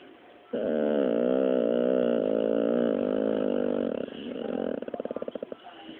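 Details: Dropsik, a pet pit bull being scolded, gives a sustained, even-pitched moaning drone for several seconds. It dips briefly, then ends in a rapid pulsed, stuttering grumble.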